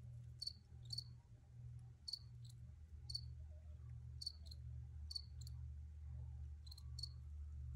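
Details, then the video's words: Recorded crickets giving brief high chirps, mostly doubled, spaced about one second apart against a constant low-pitched background drone. "Free Cricket Sounds for Re-Use or Relaxation"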